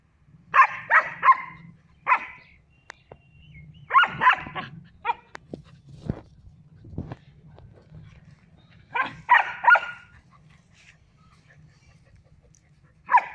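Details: Female German Shepherd puppy, three months old, playing with a male Barbari goat at a goat farm in Muzaffarpur, Bihar, India: bursts of sharp, high yappy barks in quick clusters of two to four, separated by pauses with faint low rustling.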